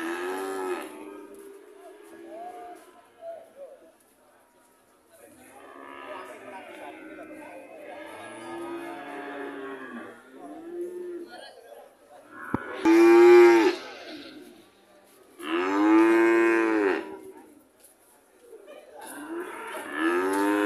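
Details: Red cattle in Indonesia, with softer low lowing early on, then two loud, full moos near the end, each lasting about a second and a half, over a faint hiss.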